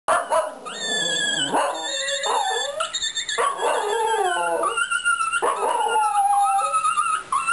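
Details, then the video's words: A Fox Terrier singing: wavering, drawn-out howls with rich stacked overtones that slide up and down in pitch, broken by short yips and breaths. "Singing Fox Terrier"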